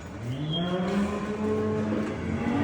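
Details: Pregnant purebred Danish Red heifer in Turkey giving a low, drawn-out moo with a steady buzzy tone that swells slightly toward the end, over a rough background rumble.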